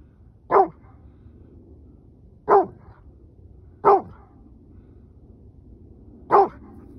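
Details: After driving a coyote into the brush, Rhodesian Ridgeback Judge answers the barking, screaming coyote pack with four loud, clipped barks at irregular one-to-two-second gaps over a steady low hiss.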